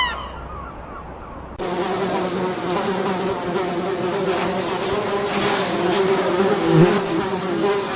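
After a faint, quiet opening, a fly's steady, droning buzz starts abruptly and continues, low-pitched with a slight wavering rise and fall.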